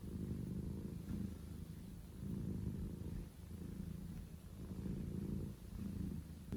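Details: Male Scottish Fold kitten purring very loudly, a deep continuous rumble swelling and fading in waves every second or so, with quiet room tone behind.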